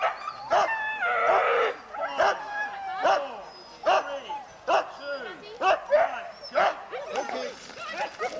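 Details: Racing huskies at a Forest of Dean sled dog weekend, November 2001, taped on VHS: short sharp yelps repeated roughly once a second, uneven rhythm, with a brief howling burst near the start and background voices.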